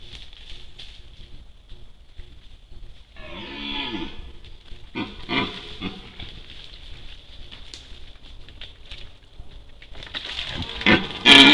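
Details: Red deer during the rut, caught by an Outlife HT-001 trail camera: one drawn-out, moaning harmonic call lasting about a second, followed by rustling and a sharp loud clatter near the end over steady camera hiss.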